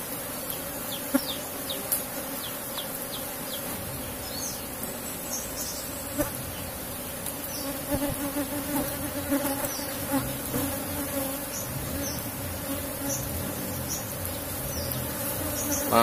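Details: Hum of an Asian honey bee colony kept in a box hive while honey is being harvested: a faint, continuous drone under scattered sharp clicks and rustling from handling of the combs.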